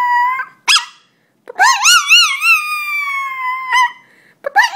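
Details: Frightened dog, described as scared of chickens, letting out a sharp yip then a long wavering whine that wobbles and slowly slides lower, followed by further short yelps.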